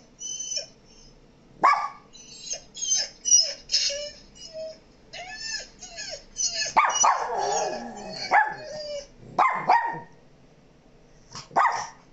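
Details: Mona, a pet Shih Tzu and Miniature Pinscher mix, reacting to played sounds: a few sharp barks scattered among the broadband electronic noises she hears, with quieter stretches between.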